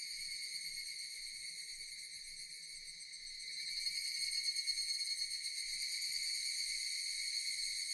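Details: Shrill, steady drone of Japanese cicadas that grows noticeably louder and pulses a little halfway through, against an otherwise quiet background.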